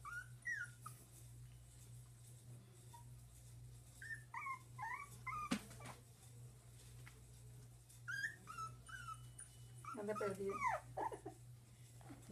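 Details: Whimpering from dachshund puppies about one month old: clusters of short, high, squeaky whines, some bending up and down, in bursts separated by pauses, with a constant low hum and some handling noise.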